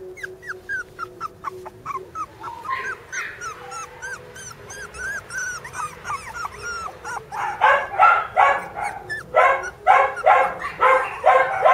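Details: Young Border Collie sisters producing a long string of thin high whimpers and squeaks, then from about seven seconds a rapid series of louder harsh yaps, roughly two per second.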